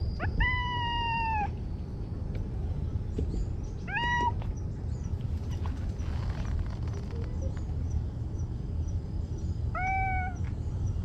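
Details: Talkative stray cat meowing outdoors in Japan: three clear meows, a long falling one near the start, a short one around four seconds and another near ten seconds, over steady low rumbling background noise.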